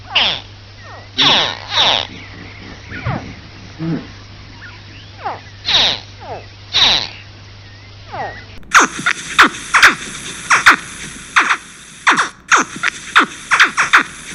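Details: Baby crocodiles calling: sharp chirps sweep steeply downward like laser-gun zaps, given singly or in quick pairs. They start sparse and then become dense over a steady background hiss.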